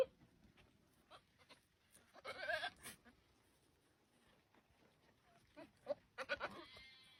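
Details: Goat; mating call; mating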